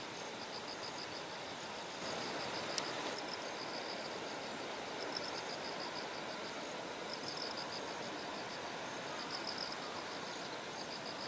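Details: Bell crickets singing by terraced rice paddies in Kikuchi, Kumamoto, Japan, on a September 6 morning as Typhoon No. 10 approached. High, thin pulsed trills repeat in short bursts over a steady rush of clear stream water.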